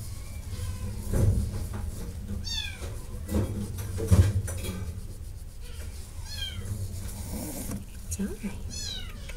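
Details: Cat meowing: several high, descending, tonal meows spaced a few seconds apart, with a person talking quietly throughout and low room hum underneath.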